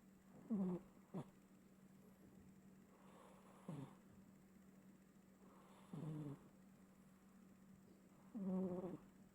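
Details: Domestic cat snoring while asleep, louder than usual: low, buzzy rasping breaths with a rough harmonic stack, repeating roughly every two and a half seconds, four snores in all over a steady low hum.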